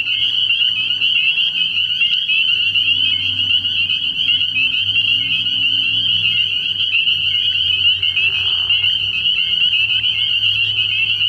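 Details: Dense nighttime chorus of spring peepers at a frog pond in early spring, an endless shrill ringing of high peeps with frequent short rising notes standing out and a faint low drone below.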